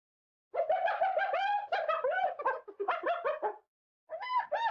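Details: Spotted hyena giggling, a laugh tied to dominance and submission between individuals rather than happiness: rapid bursts of short, harmonic, yelping notes that rise and fall in pitch, chattering for about three seconds, a brief silence, then a few more notes.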